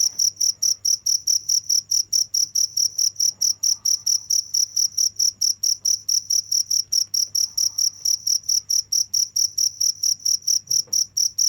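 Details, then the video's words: Crickets chirping without pause, a shrill high-pitched pulse repeated about four times a second in a steady, even rhythm, over a faint low background hum. "the sound of crickets"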